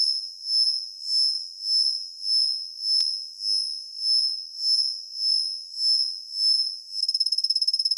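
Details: Svistella bifasciata cricket, which sings mostly from dawn through the morning, giving a soft, very high continuous ringing trill that swells and fades in regular pulses about every half second, ending in a faster fluttering buzz.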